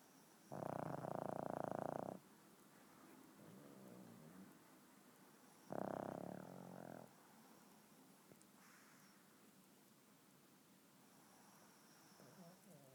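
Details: Sleeping pugs snoring: two loud rasping snores about 1.5 seconds each, separated by quieter wheezy breathing, with a fainter snort later; room otherwise quiet.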